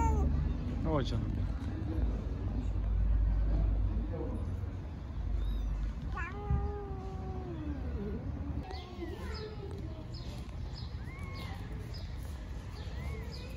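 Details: Street mother cat in Istanbul talking to her kittens: a string of meows, some long and drawn-out with falling pitch, others short, higher mews repeated every second or so, over a steady low rumble of road traffic.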